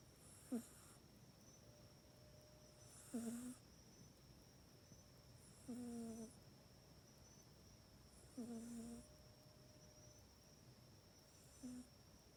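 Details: Mac the pet cat asleep in its cat bed at night, recorded on an iPhone 8 indoors; soft snores with a brief low tonal rasp and breathy hiss, recurring about every two and a half seconds, otherwise quiet room.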